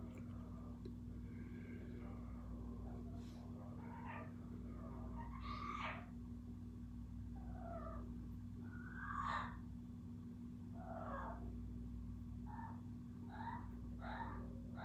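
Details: Kiko the cat makes a varied run of brief chirps and clipped meows, some rising and some falling, scattered irregularly over fifteen seconds against a persistent low-pitched hum.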